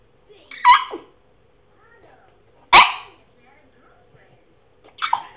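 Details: A male French Bulldog trying to bark, making funny noises: three short, strained bark-like yelps about two seconds apart, breathy and rough with a squeaky edge, over a faint steady hum.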